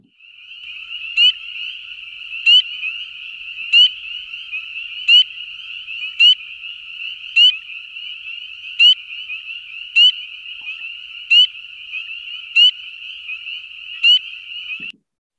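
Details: Spring peeper, a tiny light brown tree frog, giving sharp high peeps repeated roughly every 1.3 seconds, about a dozen in all, over a steady high-pitched ringing chorus of other peepers.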